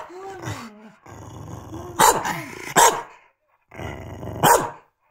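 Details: A Corgi barks and growls persistently to cut into its owners' cheerful conversation; three sharp barks near the middle and end, mixed with rising whiny growls and a man's voice calmly reassuring it in Japanese.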